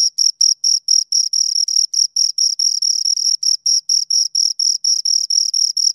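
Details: Two crickets chirping close up: a steady run of high, pure-toned chirps, about four each second, some running together into short trills, with nothing else audible.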